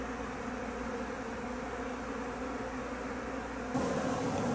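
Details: Japanese honey bee swarm, the second from an overwintered colony at a home, being hived; a fainter continuous drone that swells abruptly louder and brighter near the end.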